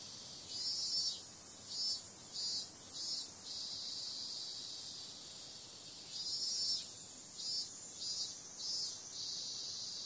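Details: Summer night cicadas: continuous high-pitched sizzling hum punctuated by two runs of throbbing pulses, each burst lasting under half a second, separated by a few seconds of even drone.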